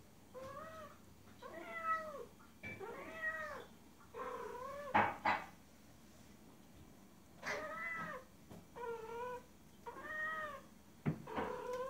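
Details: Female cat in heat mate-calling to a male outside: a long run of about nine arching, harmonic meows spaced one to two seconds apart, broken by a few sharp knocks.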